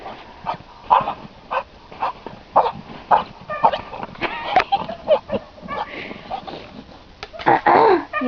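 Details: Sadie, a female English Bulldog playing with her ball in the snow by a creek, lets out a run of short, sharp barks and yips every half second to second, with snorting breaths and a person talking nearby.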